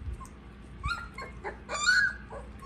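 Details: Siberian Husky puppies eating, giving short high whimpering squeals, a brief one near the start and a longer, brighter whine toward the end, over low background hum and faint clicks.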